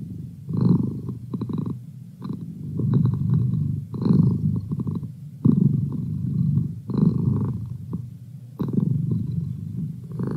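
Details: A house cat's purr, a low buzzing rumble that pulses with each inhale and exhale, louder bursts recurring every second or two across the stretch.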